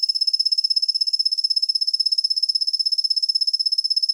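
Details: Steady high, silvery trill from a kusa-hibari cricket, Svistella bifasciata, soft on the ear and heard mostly from dawn into the morning; rapid, evenly spaced pulses run without a break throughout.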